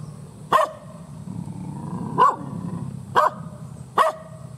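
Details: Fierce, angry village dog giving loud single barks roughly once a second or more apart, four sharp harsh barks in all over a low background rumble.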